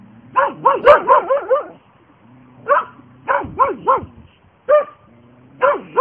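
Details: Two Border Collies barking in loud, rapid bursts of high, yelping barks, about five in quick succession, then a pause and further clusters of three to four barks, with a final short pair.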